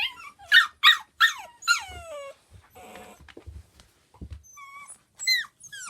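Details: Pembroke Welsh Corgi puppies, one of four siblings kept in their house pen indoors during cleaning, whine. Three loud harmonic cries fall in pitch, then long sliding whimpers and short rising squeaks follow, with soft thumps between.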